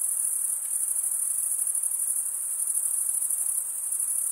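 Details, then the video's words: Steady, shrill cricket stridulation, wing rubbed against the comb-like teeth of the other wing, forming an unbroken high-pitched pulsing drone with only slight dips in loudness. "Most relaxing cricket sound"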